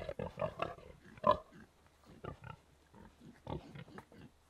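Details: Contented pigs in a barnyard giving soft, gentle grunts: short low pulsed grunts in uneven clusters, several overlapping, with brief pauses between bursts and a louder grunt near the middle.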